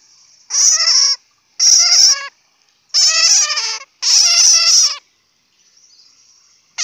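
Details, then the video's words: Four evenly spaced bursts of rasping, fast-pulsed bat squeaks, each under a second long, followed by a faint softer trill and silence. "Bat sound ( suab puav quaj)"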